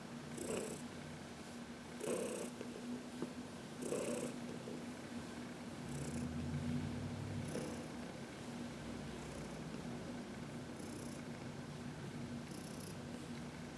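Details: Heidi, a senior adopted cat about 14 years old, purrs while being massaged in the sun on March 19, 2021; a steady low rumbling purr runs throughout, with soft breathy bursts recurring about every two seconds.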